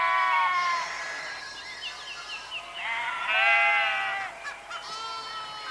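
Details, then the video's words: Sheep bleat continuously, layered voices with a long quavering baa in the middle and a brief series of short chirpy notes, faint background hiss. "Ovelhas - Som da Ovelha - Ovelha Berrando"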